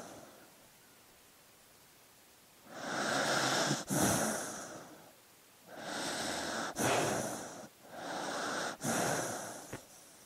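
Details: Sleeping dog breathing audibly, three long noisy breaths with a broad airy hiss, each lasting about one to two seconds with short pauses between, ending in a softer fourth breath.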